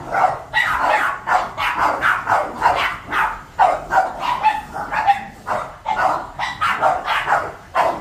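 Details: Excited barking from seven Boston Terrier pets reacting to a vacuum: quick, clustered yapping barks with slight whimpering tones between bursts, nearly continuous over eight seconds.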